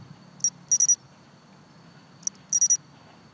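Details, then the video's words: A Japanese pine cricket on an undisturbed, long-unentered planned road-construction site in southern Suma, Kobe, sings a clear, high chirp followed by a quick triple trill, repeated twice. "道路建設予定地にマツムシ 神戸・須磨"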